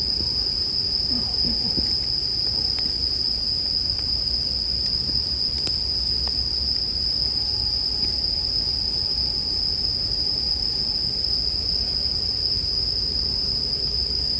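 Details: Bell cricket chorus paired with campfire sounds for relaxing sleep listening. A continuous high shrill ring holds unbroken, with occasional wood crackles and one loud pop midway over a soft low roar.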